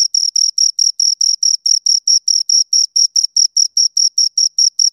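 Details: Two crickets chirping: a steady train of short, shrill, high-pitched chirps, roughly four to five per second, evenly spaced, with no other sounds in the background.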